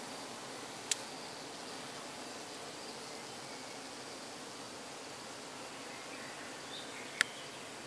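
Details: Up close to truck-kept bees in Croatia at dusk during honey extraction, calm colony; continuous thick buzzing hum throughout, broken only by two sharp clicks near the start and the end.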